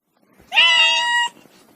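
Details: A single domestic cat meow, long and steady, held for under a second with rich, bright harmonics, in a quiet setting.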